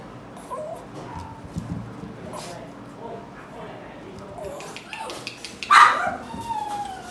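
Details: A pug gives soft, brief whimpers and snorty grunts while having its ear cleaned, with a person speaking quietly nearby.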